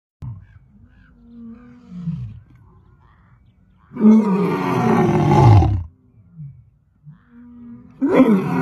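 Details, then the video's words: Lion roaring at close range: low grunting moans build into one loud, harsh roar of about two seconds, followed by softer grunts and the start of another roar. "Ever seen a lion roar this close?"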